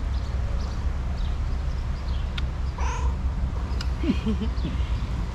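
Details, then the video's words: Tuxedo cat answering its owner: a short steady meow in the middle, then a few quick soft chirping mews, over a steady low background hum. "Tuxedo cat talks to me with its cutest meows"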